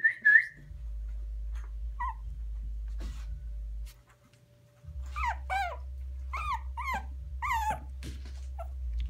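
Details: Teddy bear type puppy whining indoors: an opening squeal, a pause, then a series of five sharp wavering yelps in quick succession over a low droning rumble.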